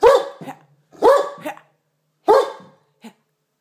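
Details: A male Great Dane barking playfully while going after a box, three loud, rough barks roughly a second apart, each ending in a short lower tail, followed by a faint small sound.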